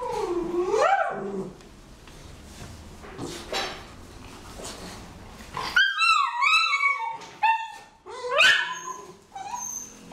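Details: Miniature schnauzer gripping a huge ball in its mouth, whimpering; a wavering nasal moan first, then a rapid series of high, bent yelping whines, each sliding up and down, among muffled rustling.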